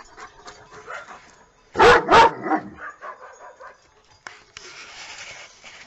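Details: Happy dog barking for fun, two loud abrupt barks in quick succession rising above a quieter mix of background sounds and faint voices, then a hissing noisy stretch.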